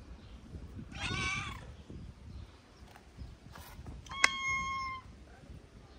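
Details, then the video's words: Hungry skinny calico stray in Morocco: one broad meow, then a flat, sustained meow after a sharp click, over low rustling background noise. "The skinny calico cat meowed loudly because she was hungry."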